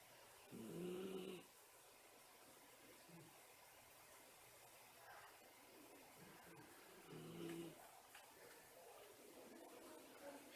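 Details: Miniature Schnauzer napping in the daytime, making whistling breaths: two short wheezy, whistle-like snores about six seconds apart, each under a second long, in an otherwise quiet room.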